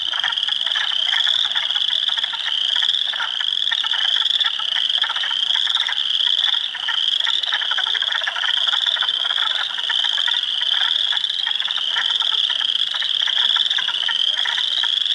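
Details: In early April 2022, hundreds of frogs call from a swamp at Heartland Forest, Ontario: Spring Peepers, Wood Frogs and Eastern Chorus Frogs. High piping notes overlap into a steady wall of sound, threaded with fast ratchety trills.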